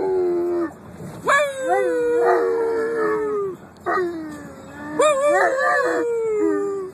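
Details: Sustained howling from a dog: each howl jumps up at the start, wavers, then glides slowly downward before a short pause and a fresh rising onset.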